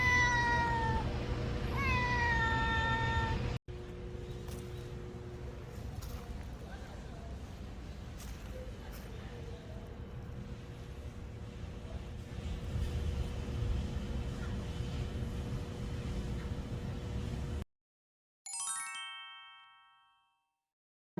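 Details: Stray cat filmed on 26 March, crying from hunger as it comes closer: drawn-out harmonic meows rising then falling at the start and again near the end, with steady background music filling the middle.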